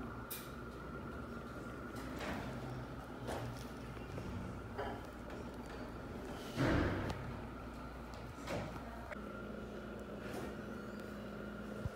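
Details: Quiet indoor room tone with a steady hum and a few soft knocks and clicks, with no animal sound heard.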